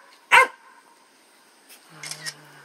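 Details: Puppy giving a single sharp, high yelp-like bark early on, followed by a long quiet gap and a few faint, brief rustling sounds near the end.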